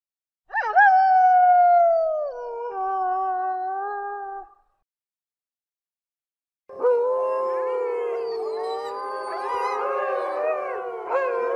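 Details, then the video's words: Grey wolf howling: a lone howl rising sharply then sliding down and holding steady, followed after a silence by a dense chorus of several wolves howling together with wavering, overlapping tones. "Wolf Howling - Wolf Sounds | Wolf Howling Sound Effect"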